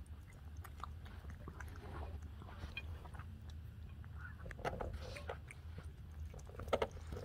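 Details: Pet cat Murzbo eating raw turkey cat food on day two of a raw diet, with soft wet licking and chewing clicks scattered irregularly over a steady low indoor hum.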